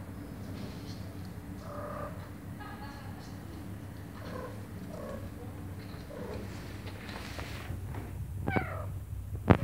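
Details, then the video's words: Mother cat calling to get a door opened, her kittens being behind it; a series of soft, short meows roughly every second, partly masked by a steady low-pitched hum, with a few sharp clicks at the end. "Mom cat meows for me to open the door, because her kittens are behind the door"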